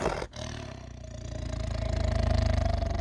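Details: Captive tiger with a chicken at feeding time, roaring to warn the keeper not to take its food away. A deep, pulsing rumble that swells steadily louder over three seconds.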